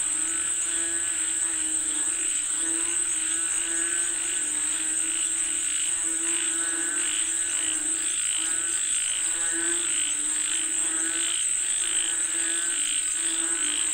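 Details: Frogs calling for rain: a dense chorus of nasal, pulsed croaks that overlap continuously, with a steady high-pitched insect whine running underneath throughout.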